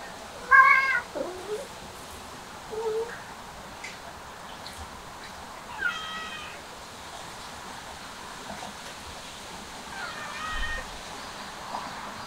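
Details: Cat eating grass, giving three short, widely spaced meows with clear harmonic tones amid steady low outdoor background noise and faint scattered clicks.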